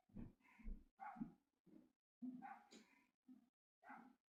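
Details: A dog barks about seven times in four seconds. The barks are short, loud and coarse, and come at an uneven pace with brief gaps between them.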